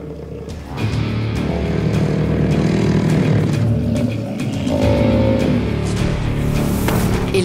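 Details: Loud background music over a steady low engine-like rumble with some speech, and no animal calls.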